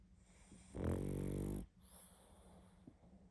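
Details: Sleeping pug giving one strong, buzzing snore lasting almost a second, then quiet breathing with a faint snort.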